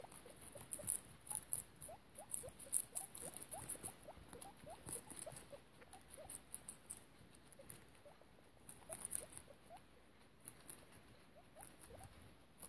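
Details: Mother guinea pig with her babies in foster care, a rapid run of short soft squeaky chirps and rustling patter, many per second, with quiet background hiss.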